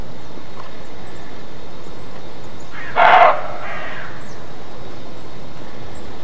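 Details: Single harsh alarm bark of a roe deer, called "Schrecken" in German, short and hoarse, followed by a weaker second burst, otherwise only steady background noise.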